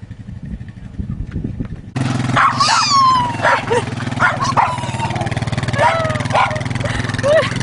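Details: A dog crying: a run of thin, high whining cries that slide downward in pitch, some brief and some drawn out, heard over a steady, loud engine drone with a few voices.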